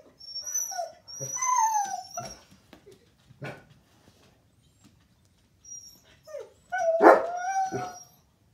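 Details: A Siberian Husky watching a coyote on television reacts, as he always does, with drawn-out, wavering whines that bend up and down like a soft howl.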